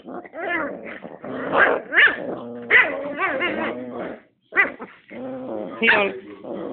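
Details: Rat terrier facing off against a pit bull, giving broken bursts of whining growls and snarling yips with a brief silence midway and a final rising whine.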